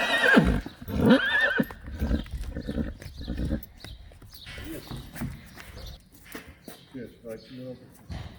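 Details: Friesian horses being brought in from their herd, with Johnny lame; two loud, shaky neighs open the recording back to back, then hoof clops, stable shuffling and a short nicker near the end.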